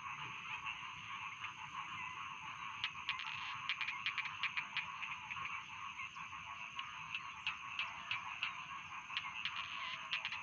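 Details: Chorus of rice field frogs, many overlapping rapid croaks forming a continuous droning trill, with crisp clicking notes scattered through the middle and later part.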